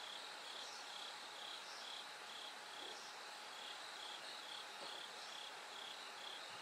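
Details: Bell cricket chirring in the dark hours toward dawn, repeating bright tinkling bursts roughly twice each second; faint scattered clicks and a steady hum sit beneath the dense hiss.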